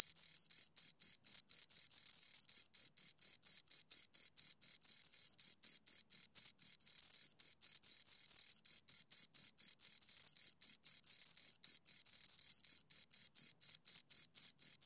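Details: Continuous chirping from two crickets, sharp high pulses repeated quickly and evenly, about three to four per second, some bursts slightly doubled; a clean, close, shrill rhythm with nothing else audible.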